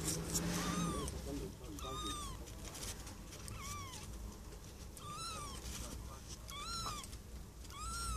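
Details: Four-day-old kittens giving thin, high, arched squeaky mews, repeated roughly every one to two seconds over a steady low background rumble.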